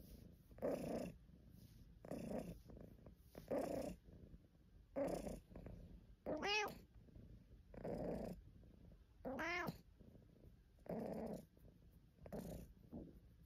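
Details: Caesar von Schwanheim, a pet cat, in a compilation of purring and complaining sounds: about ten short, low, rough meows or grumbles spaced roughly every one to two seconds, two of them rising into clearer arched meows, in a quiet room.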